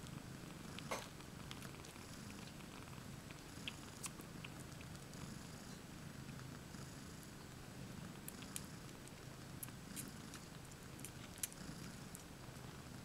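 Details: Domestic cats Io-Khô and Lollypop, two mother cats sharing one basket with seven kittens indoors, recorded 20 May 2015; a quiet, steady low rumbling purr runs throughout, with scattered soft clicks and rustles from the basket.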